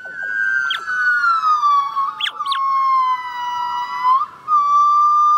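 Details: A young female golden-cheeked (yellow-cheeked) gibbon (Nomascus gabriellae), rescued from the illegal trade in Vietnam, practises her song with long, wavering, siren-like tonal notes.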